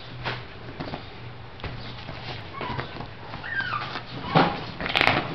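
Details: Miniature Shih Tzu from a kennel whimpering indoors, a few short high wavering whines with falling tails amid tapping, shuffling clicks and a low steady hum in a small room.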